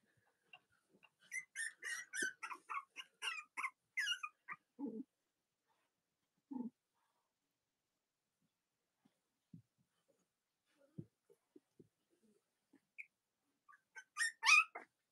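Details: Young Cavalier King Charles Spaniel puppies, litters of mothers Robin and Myra, kept indoors on a cold autumn morning near Halloween in the US; a burst of rapid shrill squeals, then quiet with scattered taps, and another squealing outburst at the end.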